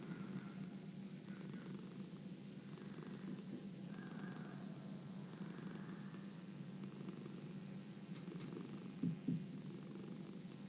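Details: A domestic cat purrs in a continuous low, rumbling drone, pulsing gently and evenly; a couple of brief sharp knocks sound near the end.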